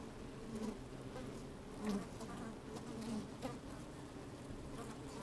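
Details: Worker honey bees moving about inside an opened hive on a fine sunny day, picked up by a microphone lowered into the colony. An even, deep buzzing hum with short louder buzz swells recurring roughly every second or two.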